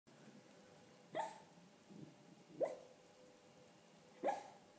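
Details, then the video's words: Male schnauzer barking in his sleep while dreaming: three short, muffled woofs spaced about a second and a half apart, with softer whimpering sounds between them in a quiet room. "my schnauzer barking in his sleep"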